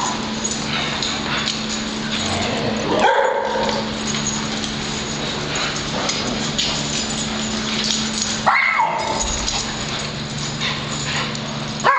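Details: Playing dogs chasing one another at a dog club, Penny after Patrick with others joining; intermittent barks and whimpering yips, two louder outbursts near three and eight and a half seconds, over continuous mechanical hum.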